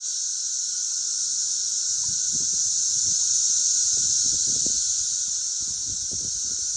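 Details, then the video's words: Many cicadas sing together along a country road in Missouri in a steady, high, hissing drone that never breaks. "Cicadas singing together on a country road in Missouri"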